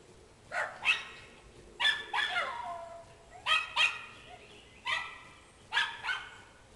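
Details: Schnauzers loose in the backyard on squirrel patrol, barking: sharp, high barks in paired bursts roughly every second and a half, several dogs calling over one another.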